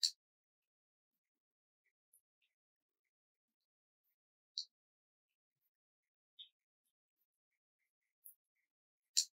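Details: Sperm whale slow clicks: sharp, isolated knocks about two seconds apart against near silence. Seemingly only males make them. They were first heard from males consorting with females and thought tied to mating, but lone males at higher latitudes make them too.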